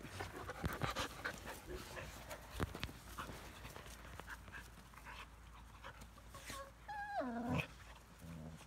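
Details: Five-week-old Australian Shepherd puppies from AKC Champion lines in Tennessee; after a stretch of rustling and handling noise, one pup gives a short whine near the end that falls steeply in pitch.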